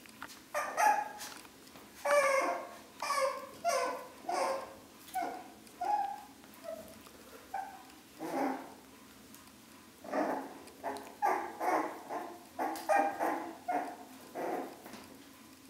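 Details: Four-week-old Long-haired Dachshund puppies, a litter, giving short high whining yelps and squeaks in quick, irregular bursts, several voices overlapping, with brief quiet gaps between flurries.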